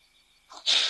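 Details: A caracal drinking at a waterhole near ol Donyo Lodge by Mount Kilimanjaro, Kenya, gives a sudden, harsh, breathy hiss to defend itself from a persistent attacking white-tailed mongoose.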